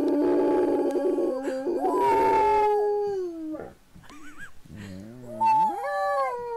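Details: Pet dog Gracie gives sustained wavering howls, first steady, then a brief dip and a sliding rise into a higher held tone near the end.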